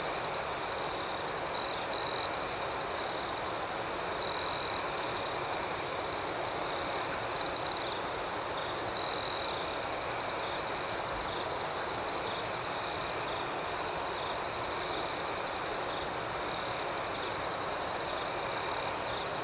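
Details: Crickets at night in a dense chorus: a steady high-pitched trill with fast pulsing above it, plus four brief louder bursts from a closer caller at about 1.5, 4, 7.5 and 9 seconds.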